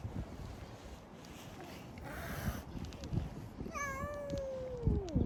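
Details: Community cat outdoors giving a single long meow, opening high and clear, then gliding slowly downward in pitch for over a second before fading; faint soft knocks and low background rumble around it.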